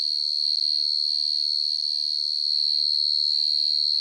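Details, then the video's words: Steady shrill trilling of a cricket at night, one sustained high note with quick regular pulses and no other clear sounds. "Tiếng kêu chuẩn 100% của dế mèn (dế cơm) | Cricket Chirping Sound"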